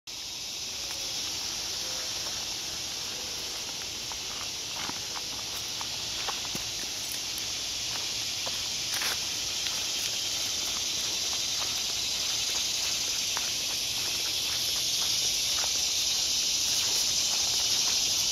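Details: Cicadas singing in woodland during a walk: a dense, unbroken high buzzing drone that holds steady and swells slightly toward the end, with soft footsteps and rustling underneath.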